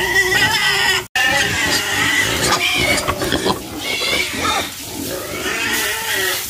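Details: Pigs on a farm, a dense chorus of high, harmonic squeals and shrieks layered over grunting. The sound goes on without a break, apart from one very brief dropout near the start.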